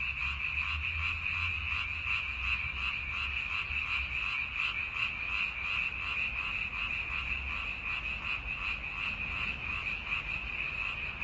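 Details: Frog. A chorus of frogs fills the air with quick, rattling croaks, pulsing several times each second in a steady, overlapping rhythm. A faint low rumble sits underneath.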